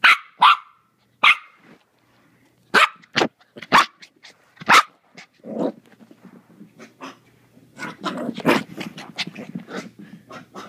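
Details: Four-month-old Maltese puppy in a hyper, playful mood, giving short sharp high-pitched yaps, first spaced about a second apart, then a busier run of rapid yips and scuffling.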